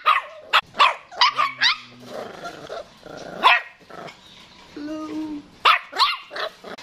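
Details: Jack Russell Terrier puppies yapping in quick clusters of sharp, high barks, several in the first two seconds, then single yaps around halfway and near the end, with a person speaking softly between them.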